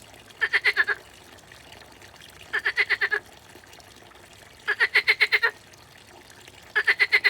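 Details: Frog calling in short pulsed bursts of five to seven quick ticks, repeated about every two seconds, against a soft watery background.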